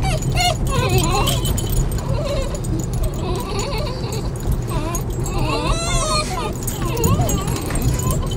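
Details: Several excited Basenjis whine in wavering, rising and falling tones over a low rumble as they head to their favourite nearby park or walking trails; a person talks over them. The whining shows excitement in anticipation of an outing.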